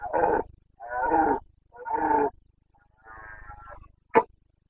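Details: Rutting Carpathian stag (red deer) in Bucovina, Romania, breeding season, 29 September 2022: a run of three rough, throaty roars about a second apart, then a longer fading groan and a short sharp final note.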